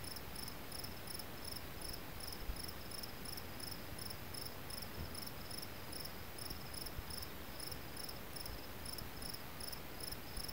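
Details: Riverside cricket giving a steady series of thin, high chirps, roughly three per second, with a continuous roar of running water underneath.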